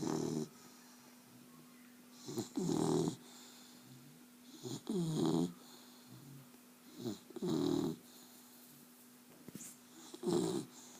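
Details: A dog snoring indoors, with rough, rasping breaths in slow rhythm, one about every two and a half seconds and four in all. Quieter inhalations fall between them, over a steady low electrical hum.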